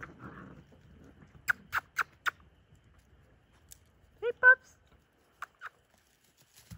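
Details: Playing Whippet pups, four and six weeks old, give a quick run of four short high yips, then two whiny squeals with strong overtones and a couple more yips.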